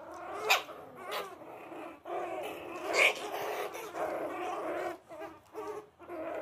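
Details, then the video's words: Playing puppies growl and bark in a steady, noisy tussle, with sharp high yaps at about half a second, one second and three seconds over a continuous rough snarling. "puppys play around"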